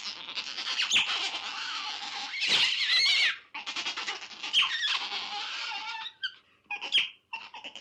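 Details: Wild otters give continuous shrill, buzzy squealing with wavering high tones, broken into long strained cries and a few short squeaks toward the end.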